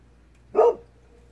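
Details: One brief, clipped bark from Kohaku the Golden Retriever at dusk, responding to a fox calling faintly far off; the bark is mid-pitched and abrupt, then quiet apart from a low hum.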